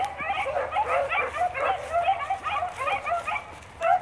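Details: Blackcreek line beagles running rabbits as a pack, baying steadily; overlapping bell-like howls that swoop up and drop, some drawn out, with a loud bay closing the stretch after a brief lull.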